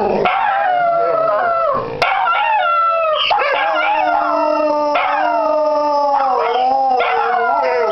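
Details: On New Year's Day 2015, as they were heading out for a walk, several Dachshunds, started by one barking, howl together in long, wavering, overlapping tones, joined by a pet cockatiel.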